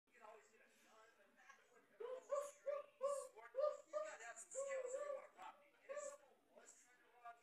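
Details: Samoyed dog being gentle with his puppy toy, whimpering indoors: a series of soft, nasal whines in short rising-and-falling bursts, about ten in a row, close to the microphone in a quiet room.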